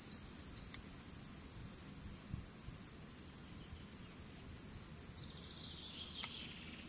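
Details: High, constant buzzing of cicadas recorded in 2017, sustained without a break, with only a couple of faint clicks and a soft bird note in the background.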